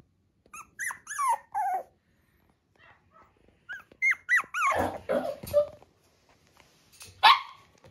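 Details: Female Shiba Inu puppy giving short, high, whiny yelps and little barks in bursts: a few rising-falling cries early on, a busier cluster around four to five seconds, then one sharp bark near the end, with quiet gaps between.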